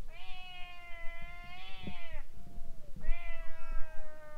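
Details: Stray cats in a standoff in front of a boat: a long, level, tense yowl with a swelling middle, a brief low moan, then a second drawn-out yowl, over a quiet rumbling background.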